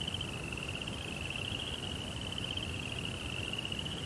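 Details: At night in a Japanese Zen garden, crickets keep up a bright, rapidly pulsed trill without pause, level in loudness, with a muted low rumble beneath.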